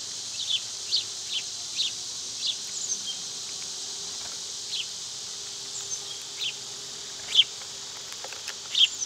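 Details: Summer cicadas keep up a steady, high hissing drone without pause, while short sharp bird chirps break through about every second or so, some louder than others.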